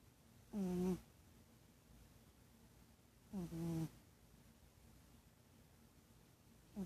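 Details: Cat asleep and snoring, brief low droning snores roughly every three seconds, each a buzzy steady tone with rich overtones, the last one just starting as the recording ends; otherwise a quiet room.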